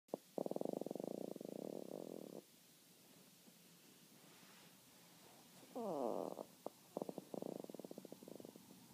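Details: Denzel, a Chihuahua, moaning in his sleep: drawn-out buzzy, pulsing groans come in three bouts, one long at the start, a shorter wavering one midway and a broken series near the end, with quiet pauses between.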